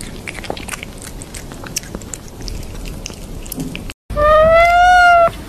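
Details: Domestic cat, with about four seconds of crunchy chewing and biting noises, then a single loud, drawn-out meow with a rich harmonic tone that rises slightly and then falls.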